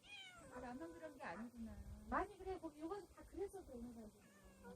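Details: Yard cat meowing where stray cats come to be fed: a few short tonal meows, one sharper rising-then-falling cry in the middle, with people talking throughout.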